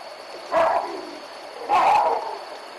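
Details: Troop of wild baboons at the Olifants river alarm-calling at a young male leopard: two loud, hoarse barks about a second apart, each with a rough, falling tone, over a quiet hissing background.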